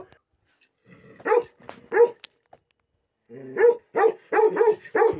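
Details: Bakarwal dog, described as pure line with a lion head, giving a series of sharp, harmonic barks: two barks, a pause, then a quicker run of about six barks in close succession.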